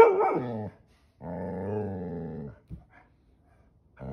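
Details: Pit Bull named Ranger, a pet dog, voicing anger at having his tail grabbed: a long harmonic growl-bark of about 0.7 s, a pause, then a sustained rumbling growl over a second long, ending with a short yap and the start of another.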